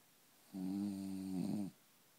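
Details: A French bulldog, said to be at ease anywhere and to snore everywhere, gives one long, low, droning snore lasting just over a second, steady and buzzy with a slight rattle at the end, in a quiet room.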